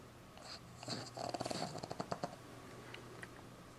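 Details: A sleeping Boston Terrier puppy, tongue out, snores in a quick run of raspy, snorting breaths over a faint steady hum.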